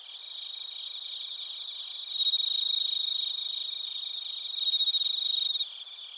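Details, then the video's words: Bell crickets and other crickets chirping in Narita, Chiba, Japan, recorded on a TASCAM Portacapture X8: high, steady ringing trills layered with rapid pulsed chirps, swelling louder midway and again near the end before easing off. "スズムシとコオロギの鳴き声 - Chirping of crickets"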